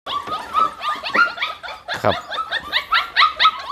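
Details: Hungry Pit Bull puppies crying together, a dense chorus of high, rapid squeaky whines and yelps overlapping several times a second.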